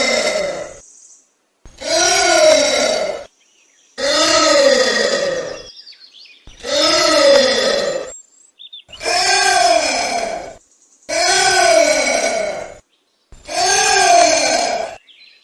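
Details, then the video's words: Anteater calling: a series of drawn-out, harmonic, arched calls about a second and a half long each, rising then falling in pitch, repeated roughly every two seconds with short silent gaps between them. "Anteater Calling Sound"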